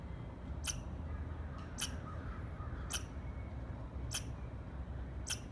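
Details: Repeated squirrel chirps, crisp clicky notes with a bright high edge, spaced roughly 1.1 seconds apart, five heard against constant low background noise.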